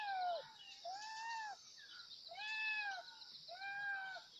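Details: Kittens crying for their mother in four loud, tonal, slightly falling meows, each about half a second long and spaced roughly a second apart, over a continuous high hiss.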